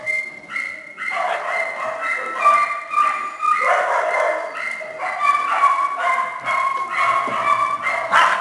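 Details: Kennel of small shelter dogs and puppies: shrill, tonal yips and whining barks overlap continuously, several pups calling at once in a bright, ringing chorus.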